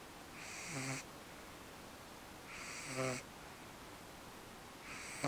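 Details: Eve, a pet dog, fast asleep at home and worn out after her first ever trip to the park, snoring: raspy nasal bursts with a hissy upper edge, each about half a second long, repeating roughly every two seconds.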